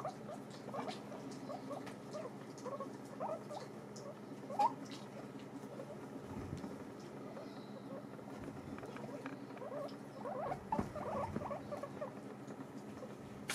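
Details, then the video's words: Domestic guinea pigs feeding on dried apples: continuous soft crunching and gnawing, occasional sharper clicks and scrapes, a low constant hum underneath. "ASMR pommes séchées mangés par mes COCHONS D'INDE"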